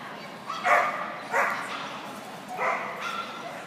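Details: Portuguese Podengo Pequeno dog barking during a Novice Jumpers With Weaves agility run on 22 February 2014: four short, sharp, harmonic barks, two close together, a pause, then two more, over steady hall background noise.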